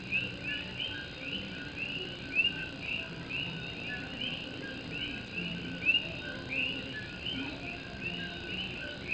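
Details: Nighttime chorus of Puerto Rican coqui frogs in rain in Puerto Rico: layered high-pitched calls blend into a constant trill, with occasional brighter rising whistled notes standing out, backed by the hiss and patter of rain on an old tin roof.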